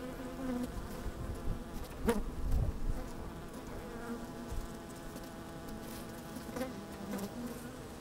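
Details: Honey bees at work in an open hive, sunny day with some wind, microphone placed inside the hive; continuous droning hum with wavering pitch, a brief louder buzz near the middle and soft thumps of wind.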